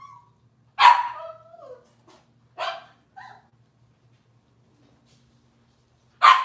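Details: Robin's Cavalier King Charles Spaniel puppies on an indoor kitchen camera: a single sharp yap trailing into a short falling whine, then two more brief yips and, after a silent gap, one final bark over a faint electrical hum.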